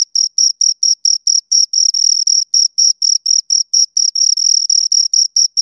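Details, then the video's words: Two crickets chirping close up, a clean high-pitched pulsed trill, short bursts repeated about four times a second with occasional longer runs, no other sounds. "Two Crickets Chirp Sounds"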